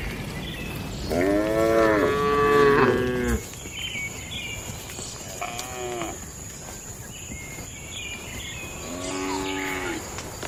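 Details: Cattle in a shed at night in a traditional village setting: a loud wavering moo lasting two seconds, then two shorter, softer moos spaced a few seconds apart, with a steady high electrical whine in the background.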